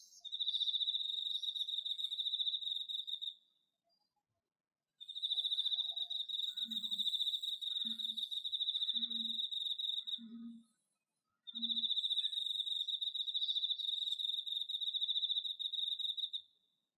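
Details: Autumn cricket singing in a pesticide-free home garden, captured with an iPhone: three long, even high-pitched trills of several seconds each with brief silences between, faint low knocking sounds in the middle.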